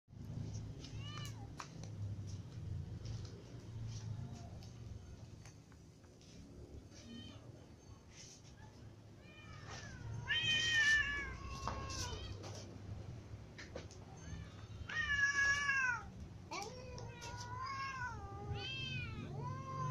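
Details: Several cats eating, among them little cats and a new white cat that is most impatient; many rising-falling meows, some short and some drawn out, grow louder in two bursts, over a steady low hum.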